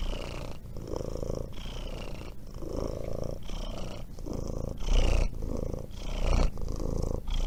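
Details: Cheerful, carefree domestic cat purring in a steady low rumble that pulses with each breath, a soft continuous drone throughout, with faint brief higher tones and occasional louder rustles.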